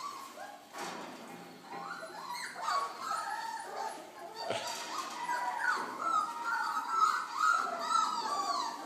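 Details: A litter of ten four-week-old Belgian Malinois puppies (8 males, 2 females, born 8 November 2013) whimper and yip together in thin, high, wavering cries.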